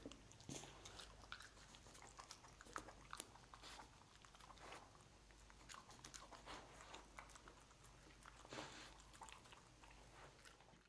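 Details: Lucy, a pet dog, eating cookies: soft, irregular crunching and biting bursts spread steadily across the stretch, with brief louder crunches near the start and middle over a quiet background.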